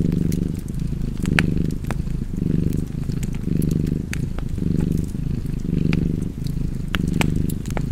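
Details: Relaxed cat purring in a soft, low growl-like hum, alternating inhale and exhale phases about every second, with intermittent fireplace crackling layered on top.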